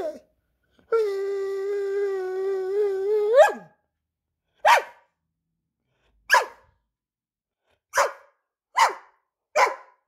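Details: Greyhound barking for attention: a long, wavering, whine-like drawn-out cry, then a series of six short, sharp barks spaced about one to one and a half seconds apart, indoors with no other sounds.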